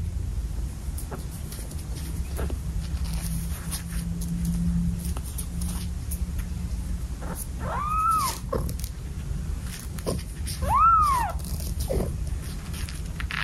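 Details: Cat from a household of seven cats giving two clear arched meows, each rising then falling, about three seconds apart near the end, over a steady low hum and faint clicks.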